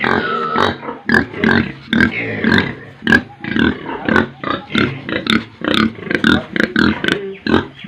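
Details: Pigs and piglets on a Tripura pig farm, loud and close: quick repeated grunts about two per second mixed with higher nasal squeals, a chorus of many animals calling.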